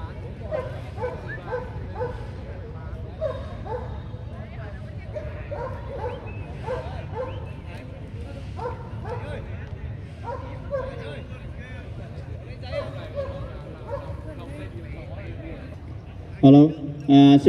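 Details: German Shepherd males aged 12 to 18 months competing at the VSM 2020 dog show in Vietnam on 5 January 2020. Short barks repeat in an uneven rhythm under a steady public-address announcement, with a loud burst of noise at the end.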